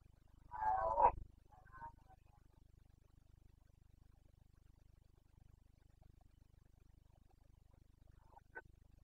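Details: Red deer stag of the Carpathians roaring at rut time in Bucovina, September 2022: one loud, rough roar at the start, a brief softer grunt, then long quiet with faint distant calls.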